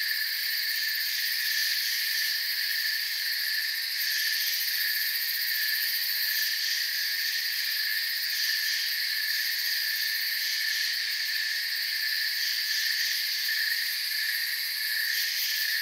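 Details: Crickets in a forest chirping softly, massed into a dense, unbroken chorus of high shimmering trills that holds a steady level throughout, layered in several high bands with no other clear sounds.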